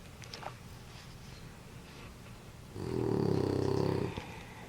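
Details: Maxie, a female French Bulldog, snores loudly after a bath while wrapped in a warm blanket, a low, rattling rumble that swells for about a second.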